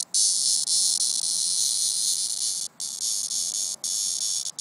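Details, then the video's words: A cicada in summer, fallen from its tree and weakening, produces a loud, continuous, harsh high-pitched buzz, broken only by a few brief gaps, with nothing else audible. "Summer Sound Cicada"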